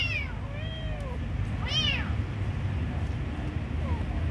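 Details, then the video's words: Young kitten at feeding time mewing several times: a thin falling cry, a longer wavering meow, then a bright arched one near two seconds, over constant low background hum. "Giving food for beautiful kitten"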